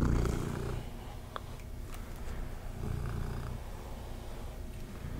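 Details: A cat being brushed purrs with a continuous deep, throbbing rumble, louder at the start, with light scratching and soft clicks from the brush on top.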